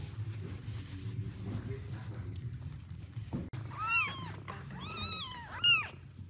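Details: Domestic cat mother taking her first food after giving birth, with her newborn kittens nearby: low rumbling background for the first half, then four high, thin mews, each arching up and falling away, in quick succession.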